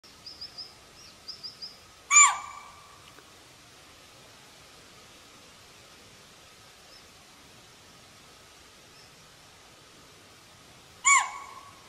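A chital calls twice, each a loud, piercing bark with a high shrill edge, separated by a long quiet gap. Faint small bird chirps sound early on against a soft hiss of outdoor background.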